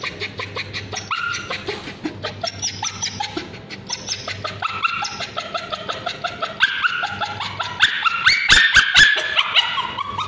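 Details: Male Bichon Frise screaming as ointment is applied to his scabies-affected tail; rising, quavering high cries and yelps that repeat irregularly, building to sharp loud bursts near the end over a faint steady hum.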